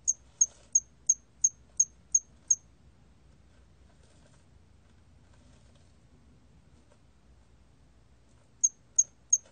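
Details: A hairy cricket, recorded in 2020, gives a string of brief, very high, evenly spaced chirps, about three per second, then pauses; after several seconds of quiet the same clipped chirps start again over a faint low rumble.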